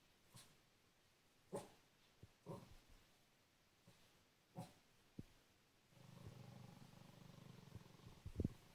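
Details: Cavalier King Charles Spaniel indoors growling at belts hanging on a door, perhaps mistaking them for snakes: scattered soft knocks and thumps, then a sustained low rumbling growl for about two seconds ending in a sharper sound.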